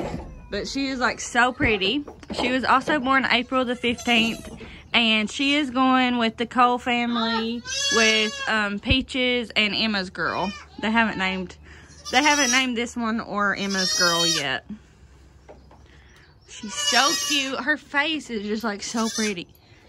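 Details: Many baby goats from the 2022 kidding season bleating loudly, with wavering, quavering cries overlapping in bursts, high and low voices mixed, and human speech audible between and over the calls.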